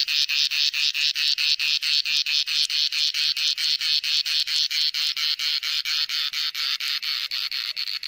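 A cicada's song fills the air with a high, rasping buzz. It throbs in quick, steady pulses, roughly four per second, holding its strength throughout with nothing else heard.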